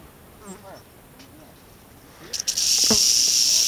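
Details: Western rattlesnake encountered August 15, 2010 on the East Molera trail, Andrew Molera State Park, near Big Sur, California; hushed human voices first, then a sudden loud sustained hissing buzz starts and holds to the end.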